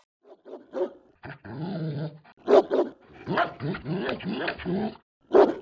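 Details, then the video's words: German Shepherd Dog giving rough, rasping growls broken by a few loud, abrupt barks, the growls rising and falling in pitch over a few seconds. "GERMAN SHEPHERD Sounds for Kids - Barking, Howling, Breathing Sounds of German Shepherd Dogs"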